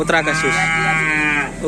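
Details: Cattle from Sapudi island, Indonesia, brought in by a karapan sapi bull-racing team: one steady, drawn-out moo lasting over a second, slightly falling at the end, with people talking just before and after.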